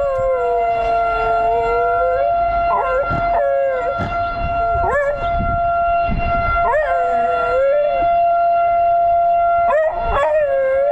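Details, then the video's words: Dog howling outdoors in response to a tornado siren after being let out the back door; wavering, sliding howls rise and fall over a steady, loud multi-tone siren wail throughout. "Howling at Tornado Siren"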